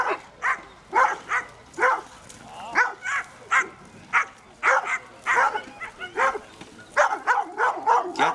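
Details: A female German Wirehaired Pointer barks steadily at Pena, a mechanical bear, at the Koria wilderness fair in 2011, sharp rough barks several times a second. It is her second encounter after a few hours' break, working from behind and dodging face to face.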